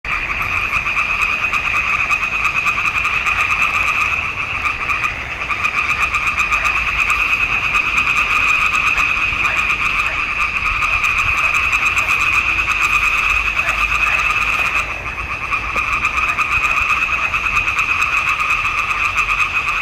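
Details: Frogs singing in a swamp pond in June 2021, a dense continuous chorus with steady bands around two pitches, mid and high, pulsing rapidly throughout; a brief dip in loudness near five seconds and fifteen seconds.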